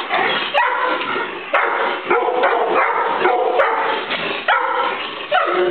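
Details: Excited dogs greeting their returning owner: Golden Retrievers Maxie and Maya, Australian Shepherd Fidget, mutt Corduroy; dense overlapping barks and whines in short bursts about once a second, with rustling noise throughout.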